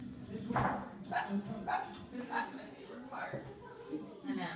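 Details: Dog barking at confetti: short, sharp barks repeated about every half second, while a person talks in the background.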